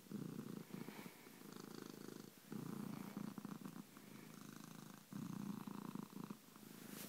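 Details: Bronco the cat gives a loud, low throbbing purr, swelling in roughly three breath-length waves with short dips between, and light rustling noises above.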